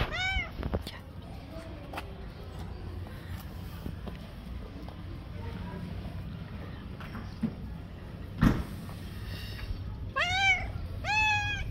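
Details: Stray tabby cat living on the street gives a short meow early on, then two drawn-out, rising-and-falling meows near the end, over steady low traffic rumble and a sharp knock.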